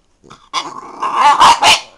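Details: French Bulldog talking back: after a person says "Hey", a brief low grumble swells into three louder, strained vocal bursts with a rough, growly edge, each about a quarter-second long.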